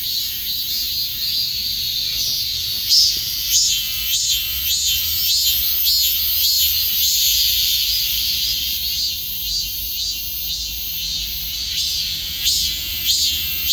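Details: A high, shrill cicada drone runs without a break, throbbing in quick repeated surges with a few louder bursts scattered through it, against a faint low rumble in the background.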